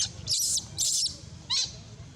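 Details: Loud crying from an abandoned monkey: two long, harsh high screams in quick succession, then a shorter shrill cry after a pause, with steady low rumble beneath.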